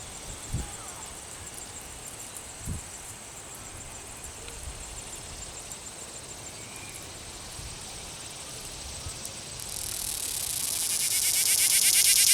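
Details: Cicada caught at Longwood Gardens, Pennsylvania, held in hand while rubbing its wings by wagging its tail. A harsh, fuzzy, pulsing buzz swells in near the end over a faint steady high whine, with a few soft thumps earlier.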